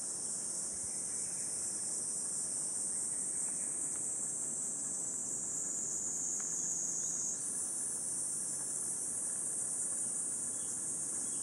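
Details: A cicada chorus on a 37°C July morning in Gifu Prefecture Hyakunen Park, Japan, recorded in 2026 while walking a path through sun-dappled woods. A continuous shrill, buzzing wall of sound holds throughout, and its pitch shifts slightly at one point.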